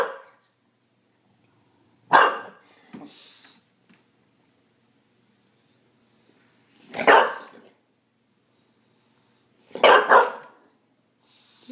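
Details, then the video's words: Bulldog barking, upset and confused by candles it does not understand: four loud, gruff, broad barks come at about 2, 3, 7 and 10 seconds, separated by silence, with a person speaking softly before and after. "Bulldog confused by candles"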